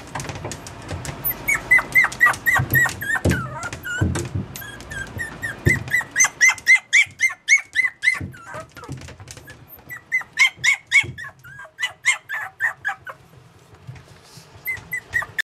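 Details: Whining Yorkshire Terrier puppy: a long run of sharp, high, squeaky whimpers, roughly four per second, pausing briefly and resuming, with occasional low thumps in a quiet room.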